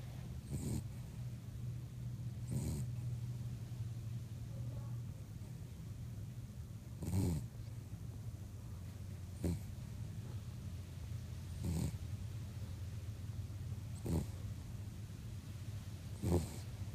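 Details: Ruby, a cavapoo (cavoodle), snoring while asleep: low rumbling breaths with soft snorts roughly every two to three seconds over a steady low hum.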